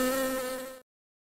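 A wasp gives a steady, nasal drone from its beating wings, a single sustained tone rich in overtones. The buzz holds nearly level for under a second, then stops sharply.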